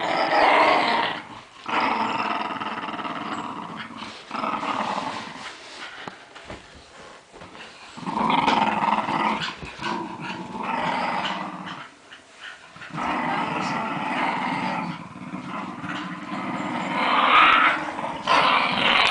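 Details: Playful growling from Lakeland Terriers during a tug of war game in New Zealand: continuous harsh, throaty growls rising and falling in loudness, with short breaks between drawn-out bouts.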